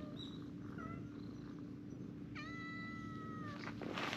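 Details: Stray cats on a bench, a brown tabby-and-white cat being petted as its companions climb up to be stroked: brief faint mews, then one long, clear, slightly falling meow of about a second, over a steady low hum.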